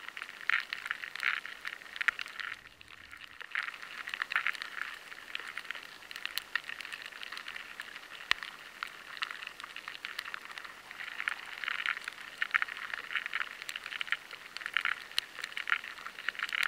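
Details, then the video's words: High-sensitivity recording of rice weevil larvae scraping inside stored grains: a dense, crackling patter of tiny dry ticks, the gnawing loud and clear. The larvae find it harder to scrape at the grain, so the sound changes. "The rice weevil larvae find it harder to scrape at the grain and the sound changes."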